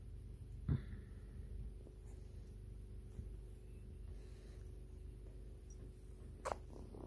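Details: Purring white kitten grooming its owner: a soft continuous low rumble, broken by two sharp clicking or licking sounds near the start and end.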